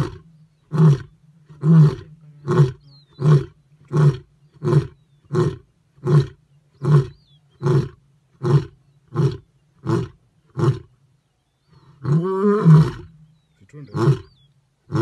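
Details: A lion (Panthera leo) gives a long run of deep, grunting roars, each under a second, repeated steadily.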